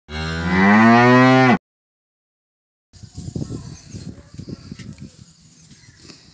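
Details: A Punganur cow gives one long, full moo of about a second and a half that bends upward and then sinks. Silence follows, then scattered knocking and rustling noises.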